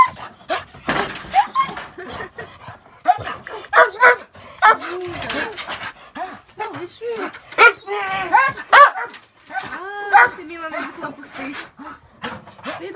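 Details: Neighbour dogs in a village, fluffy Zhuzha and little Malysh, one of them "talking": repeated yodelling moans and whiny, wavering grumbles in uneven bursts, interleaved with a person's chatter.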